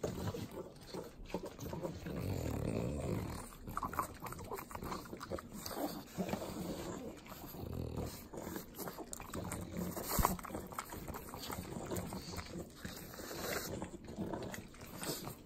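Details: Three pug dogs eating butter at home in Southern California's Inland Empire: continuous sloppy wet licking and smacking, with rough nasal snorts and snuffles breaking through, steady and close throughout.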